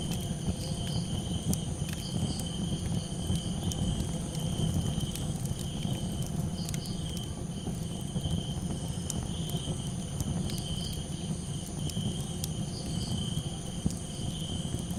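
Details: A nighttime chorus of crickets gives a continuous shrill ringing tone, while a crackling campfire adds dense low roar and scattered pops.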